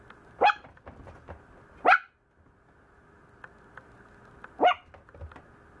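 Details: Maltese puppy that complains a lot gives three short, high, sharp barks: two close together near the start, then a long pause before the third. Light tapping and handling noises sit between them.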